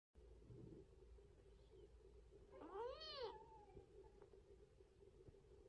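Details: Pet cat giving a single arched meow that rises then falls, lasting under a second, over a steady low indoor hum.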